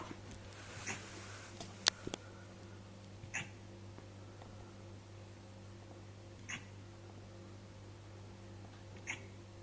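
A Siberian Husky hiccups, with short, soft breathy jolts about every three seconds.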